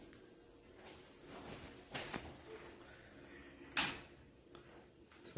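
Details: Indoor apartment sounds: a few knocks and door or drawer clacks, one sharp click near the end, over a quiet room hum, with no animal voice heard.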